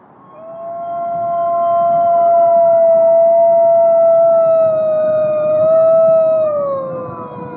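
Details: Captive gray wolves at the Wolf Conservation Center in South Salem, New York, howling together: a long steady tone held for several seconds beside higher overlapping voices, dipping near the end.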